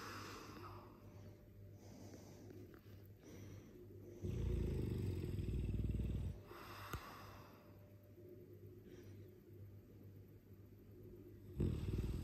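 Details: A Dogue de Bordeaux, a mastiff, snores in its sleep: quieter rasping breaths frame one loud, deep, rattling snore lasting about two seconds around the middle, with a sharp snort-like burst near the end.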